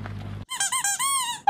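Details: Young wolfdog Covington, a puppy aged between five weeks and four months, gives a brief high squealing whine that rises slightly and then holds steady, preceded by a low hum.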